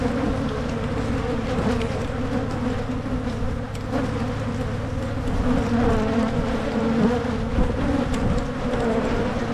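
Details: Honey bees in a Michigan beekeeper's hive during splitting to prevent swarming, with smoke in use: a steady, dense, low droning hum with sustained tones throughout, and light handling noises.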